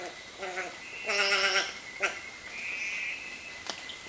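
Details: Wild sugar glider in the highlands of Papua New Guinea. Nasal, bleating calls rich in stacked overtones come in short bursts, the longest lasting about half a second. Shrill insects hiss high above, and a steady thin tone runs underneath.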